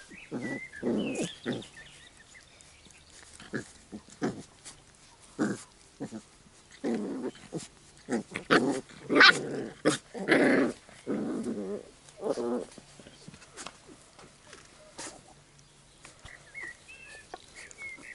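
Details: Young Labrador Retrievers from the A litter wrestle and bicker in play. Throaty growls and grunts arrive in uneven bursts alongside scuffling noises and an occasional high squeak.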